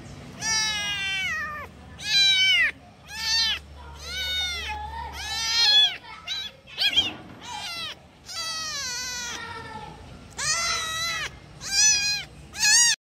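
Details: Several kittens calling their mother cry in a dense overlapping series of loud, high meows, some rising then falling, others bending down at the end, with barely a pause between cries.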